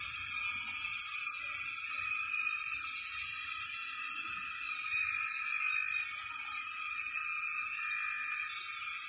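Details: A large blue cicada (kagang) clinging high in trees gives a steady, shrill, high-pitched buzz without a break at 6 pm in summer, calling to attract a mate.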